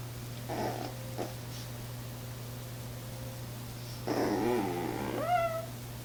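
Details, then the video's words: A female Chihuahua, hesitating on a chair and afraid to jump down to her toy, gives a brief soft grumble, then a longer wavering whine rising into thin squeaks, over a low steady indoor hum. "Chihuahua makes cute noises when she hesitates"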